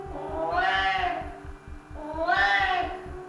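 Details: Simon, an anxious Siamese cat who keeps his owner awake all night, gives two long, loud harmonic yowls, each swelling and falling over about a second, separated by a short pause, with a faint steady low pulsing underneath.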